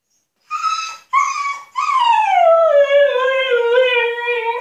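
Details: Husky named Altezza, shut in an enclosure as punishment, demanding to be let out: two short high whining yelps, then a long loud howl that slides down from a high pitch and holds a steady lower tone, rich in harmonics.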